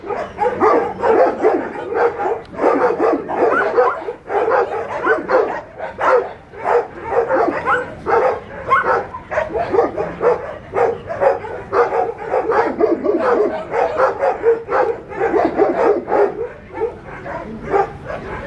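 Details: Litter of puppies alongside Cereja keeps up a continuous chorus of sharp, high-pitched barks and yelps, many voices overlapping in rapid, uneven rhythm throughout.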